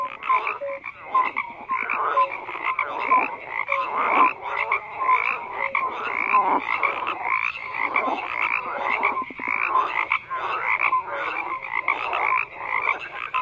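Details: Frogs croaking as a thick, continuous chorus; rough pulsed calls surge and fade in waves, with scattered brief clear notes among them.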